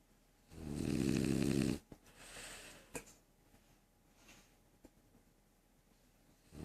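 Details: French Bulldog sleeping indoors, snoring: one loud, rough, low rumbling snore lasting just over a second, followed by quiet breathing with faint clicks and small thumps in a small room.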